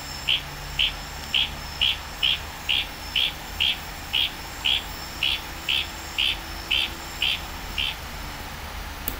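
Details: Night chorus in the Tanimbar forest of Indonesia: a wild Litoria frog gives a long even series of about fifteen short, high, clicking notes, roughly two per second, over a continuous cricket and insect drone.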